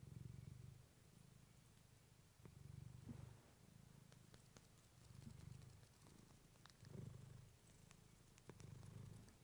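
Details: Clementine, a female pet cat, purring close to a fluffy microphone: a deep, low rumble swelling and fading in steady bursts about every two seconds with her breathing, a few faint soft clicks in the background.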